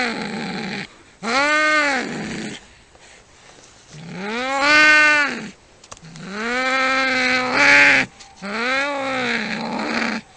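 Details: Cats fighting, a long recording of sound effects: drawn-out harmonic yowls rising and falling in arcs, four long wails each lasting one to two seconds, separated by short quiet gaps with low growling.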